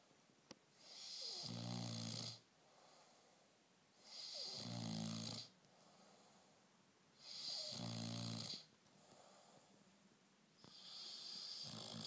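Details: Bullmastiff puppy asleep indoors, snoring in slow regular cycles about every three seconds, each breath a rough rumbling snore with a hissy airy edge, separated by quieter pauses.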